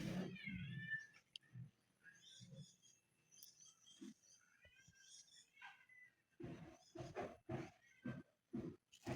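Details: Sick pet cat with chronic kidney disease, blood in urine, meowing indoors: harmonic meows early on, then a quiet stretch and several loud broadband thumps and rustles near the end, with a woman speaking Tagalog softly.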